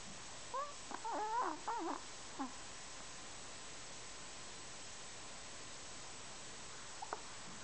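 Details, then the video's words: Kenny, a snoring Chihuahua: a cluster of squeaky, whistled, wavering tones in the first two seconds, then a short squeak and a near-silent stretch before a faint final peep. "Kenny, the Snoring Chihuahua"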